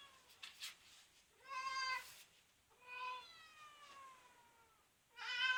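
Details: Cat rescued as a kitten from a car under maintenance, now grown, utters drawn-out harmonic meows, one long and slowly falling, with faint background rustle and a loud meow starting at the end.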